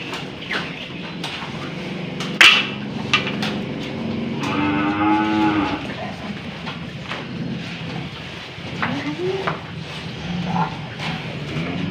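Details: Aged cow that resists having a nose rope fitted bellows a rising, strained moo lasting over a second, followed later by a shorter upward low; clicks, thuds and scraping surround the calls.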